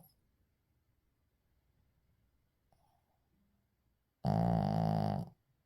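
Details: Sleeping Shih Tzu indoors: a few seconds of quiet with faint breathing, then one loud, low, vibrating snore lasting about a second.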